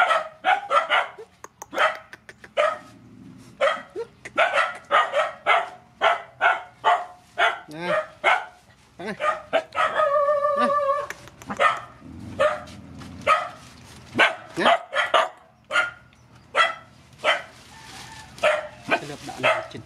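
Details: Feeding time for rescued mother dogs and puppies: a dense volley of quick barks from several dogs, one drawn-out tonal whine midway, and human voices faintly in the background.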